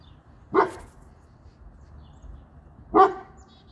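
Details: Pet dog, one of three kept together (a female Boerboel, a male American Bully and a female Serbian Defense Dog), gives two loud, sharp single barks about two and a half seconds apart in a quiet setting.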